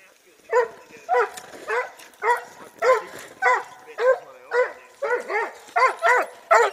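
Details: Treeing Walker Coonhound barking: a run of about eleven sharp, bright, yelping barks, roughly two each second, steady and insistent, with a quiet background.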